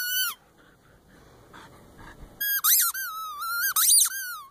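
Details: Siberian Husky, a female, excited over a new tennis ball: one brief high whine, a quiet gap, then a run of loud, warbling squeaky whines with swooping pitch.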